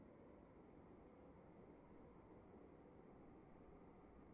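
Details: Cricket calling in a dark room at night: short, high, even chirps repeated about three times a second, steady throughout, over a low, constant room hum.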